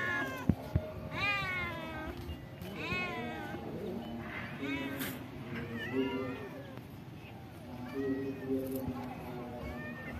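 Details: Several cats living at a pagoda, among them an old cat, being fed rice and fish; overlapping, rising-then-falling meows come one after another with several callers at once, over soft murmured human speech and a few sharp knocks.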